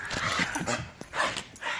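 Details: Wet, excited dogs after Hurricane Michael racing about in zoomies; thin whining tones swell and fade twice over a broad scuffling rustle.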